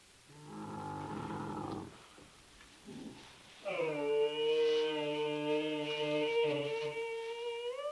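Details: Bactrian camel calling: a low, harmonic moan lasting about one and a half seconds, a brief pause with faint sounds, then a longer, steadier, tonal bellow held for about three seconds.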